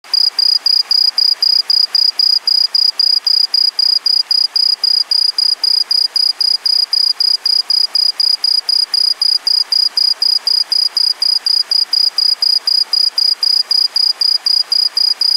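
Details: An introduced, non-native green tree cricket gives a loud, high, pure chirping, pulsed about four times a second without pause.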